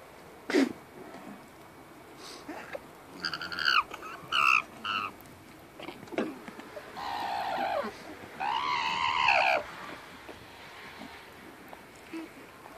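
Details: Alpaca named Diego, described as refusing to share and telling everyone how he feels, gives several harsh, harmonic-rich screeching calls, some short and stacked, two longer wavering ones near the end, with faint clicks and quiet background between.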